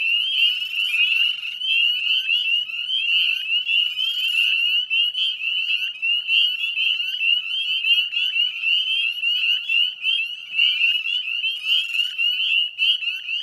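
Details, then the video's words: Northern spring peeper chorus at dusk, 9:08 p.m. on 18 May 2020, Chezzetcook salt marsh wetlands, West Chezzetcook, Nova Scotia, Canada: a dense wall of overlapping high piercing peeps blending into a continuous shrill band, with sharp clicking ticks throughout. "Northern Spring Peeper Chorus"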